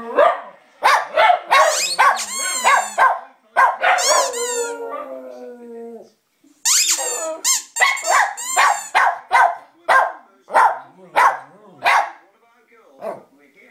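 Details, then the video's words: A 2-year-old Lhasa Apso sings in a string of yips, yelps and wavering howled notes. "Lhasa Apso Singing"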